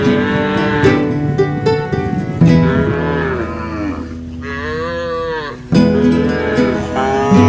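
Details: Group of big cattle grazing in a field, lowing to call herd mates back to the pen; drawn-out moos with a long arching call midway, overlaid by plucked-string music throughout.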